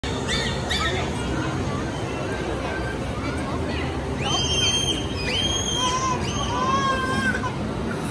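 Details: Captive bottlenose dolphins give high, sliding whistles that rise and fall, some sounding almost like a crying baby.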